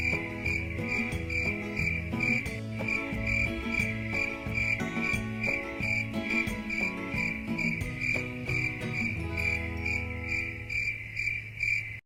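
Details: High cricket chirps pulse steadily, roughly two per second, for calm listening, accompanied by quiet melodic music that thins out toward the end, leaving a sustained low tone.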